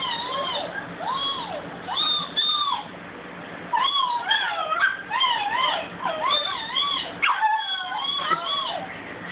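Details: Bella the dog howls in a string of bent, rising-then-falling wails, some short and yelping, others drawn out and wobbling, with brief quiet gaps and a hint of a human voice.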